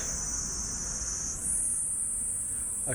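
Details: Cicada already out during a 2021 mountain walk in Tochigi, Japan: a continuous shrill, high buzzing runs through the whole stretch and jumps to a higher pitch halfway, over faint footsteps and light outdoor noise.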